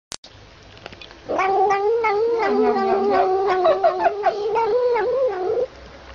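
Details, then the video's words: A kitten makes noisy sounds while drinking milk from a bottle: after a short silence, a sustained wavering cry, continuous for about four seconds with slight pitch wobbles and overlapping sucking clicks, then ending abruptly. "Kucing buat bunyi bising sambil minum susu botol"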